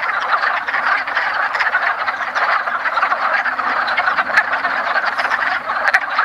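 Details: Wood frogs at a woodland pond in early spring during their annual mating ritual: a dense, continuous chorus of many overlapping short clucking croaks, mid-pitched and unbroken across the whole stretch.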